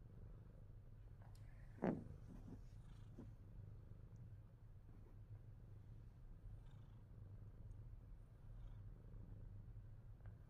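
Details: Himalayan Persian cat purring steadily, a low vibrating hum that runs unbroken, interrupted early by a single sharp click or knock, then faint rustling over the calm rumble.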